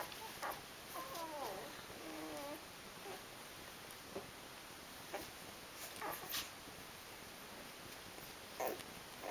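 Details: Eight-day-old Rhodesian Ridgeback puppies from a litter of five: brief wavering, high whimpers early on, then a quiet stretch with scattered soft clicks and rustling.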